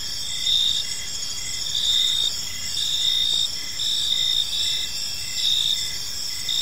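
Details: Crickets chirping in a peaceful park as evening unfolds: steady high-pitched trills in pulsed bursts of about half a second, repeating roughly every second, layered with a continuous shimmering insect chorus and faint low background rumble.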